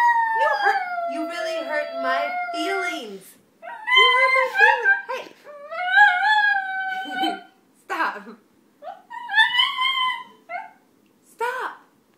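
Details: A Shih Tzu howls in long, wavering tones that slide up and down while her owner practises violin for the first time, seemingly objecting to the playing.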